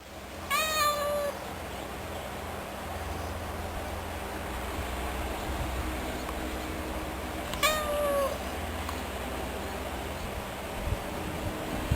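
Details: A domestic cat gives two drawn-out meows about seven seconds apart, each rising then falling in pitch, over a low steady hum in an indoor-sounding room.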